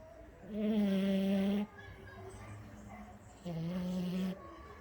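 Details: Snoring French Bulldog: two long, buzzing, droning snores, each just over a second, separated by a quieter stretch of breathing.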